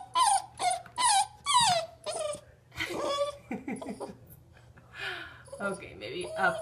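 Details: Frustrated Greater Swiss Mountain Dog puppy, seven and a half weeks old, balking at going downstairs; a few high whimpers early, then quieter mixed sounds and a person's voice coaxing him.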